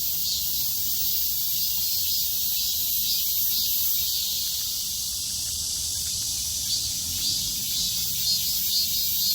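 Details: Summer cicadas in full chorus: a loud, even, high-pitched rasping buzz filling the whole stretch, with soft regular pulsing about twice per second and little else audible beyond a dull low rumble.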